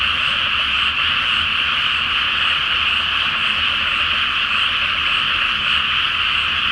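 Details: Rice field flooded before planting, at night under a full moon, alive with a frog chorus: dense overlapping croaks forming a constant high buzz, faint low rumble beneath.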